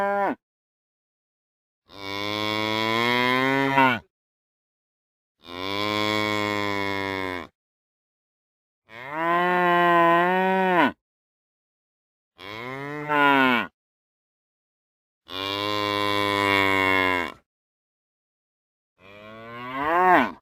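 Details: Real cows mooing: loud, drawn-out, harmonically rich moos about two seconds each, some rising then falling in pitch, separated by silent gaps of a second or two, with clipped moos at the start and end.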